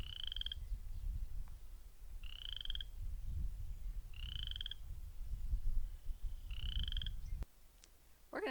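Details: Western chorus frog gives short, rising, raspy trills, about four in eight seconds, at park ponds with cattails in early spring, over a steady low rumble of wind or traffic.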